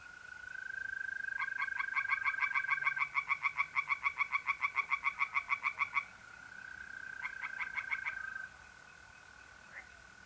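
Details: Night chorus of tree frogs in a pond in North-East Italy, mid-April: long runs of fast, evenly spaced rasping pulses, several seconds each, then a shorter burst, over a continuous buzzing trill of mole crickets.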